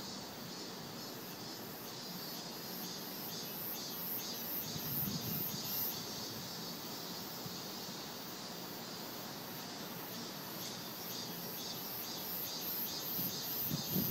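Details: Cicadas singing in summer beneath the shade of trees: a dense, high buzzing chorus that pulses roughly two to three times per second over a steady hissing drone, with faint low rumble underneath.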